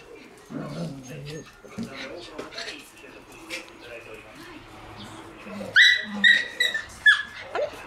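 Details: A group of Shiba Inu puppies, with a black Shiba, give high, thin whimpers and squeaky yelps after a woman's chatter.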